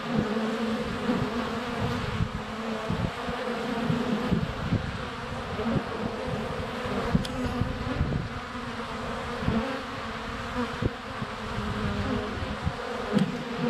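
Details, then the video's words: Honey bees swarming at a hive entrance on a sunny February day, filmed up close with a GoPro Hero 7 Black; a dense steady hum with many overlapping wingbeat buzzes and occasional taps of bees landing on the camera. "Honey Bees - ambient video and audio"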